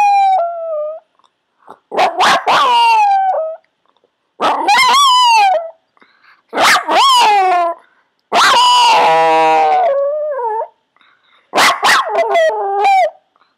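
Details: Cherub the Yorkshire Terrier howls on command during shaping training: six bouts of high, quavering howls, each opening with sharp yelps and ending in a descending tonal note, roughly every two seconds.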